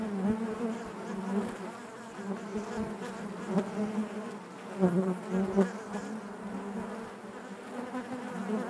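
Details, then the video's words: Honey bees buzzing in their hive: an unbroken low harmonic drone from many insects, with irregular swells and a cluster of louder passing buzzes around five seconds. "bees therapy hive natural buzzing sound"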